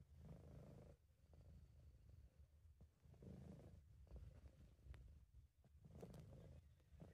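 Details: Relaxed, contented British Shorthair cat called Sub purring; a deep, even rumble that swells and fades about once a second with each breath, close and quiet.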